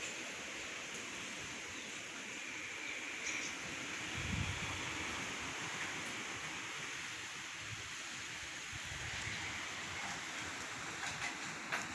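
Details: Only a soft, steady hiss with faint rustling and handling noises is heard, with no animal voice.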